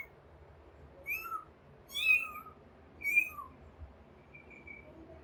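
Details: A kitten searching for its mother cries three times in quick succession, each mew thin and high with a bright tone and a slight rise then fall. A fainter, softer cry trails off near the end.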